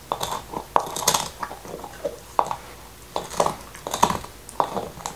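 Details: Nixon, a male black Labrador Retriever, gnaws his favorite beef bone indoors in 2019: sharp crunching and biting clicks in uneven bursts, with wet mouth sounds between, in a quiet small room with no talking.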